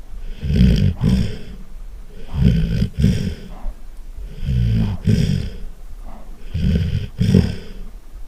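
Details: Loud snoring from a sleeping Golden Retriever. Heavy, guttural low rumbles repeat roughly every two seconds, each breath broken into two or three rough pulses, with soft hissing gaps between them.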